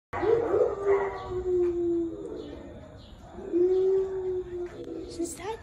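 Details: Female dog in the West Valley animal shelter asking visitors for attention: two long, drawn-out tonal whining howls, each held for over a second at a steady mid pitch and sliding slightly, with faint background noise.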